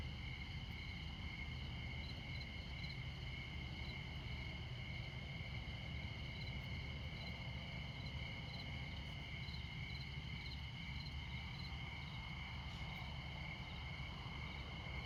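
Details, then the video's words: Midnight cricket chorus in Montana near I-94, America's most northern interstate. Continuous high-pitched ringing tones with rapid pulsed chirping on top, set against a heavy, steady roar of passing vehicles. "Midnight Montana Crickets"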